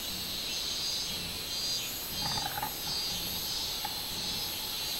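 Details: Robust cicada (minminzemi) on 24 July 2016: a continuous high buzzing with rhythmic surges, and a short lower chirping sound near the middle.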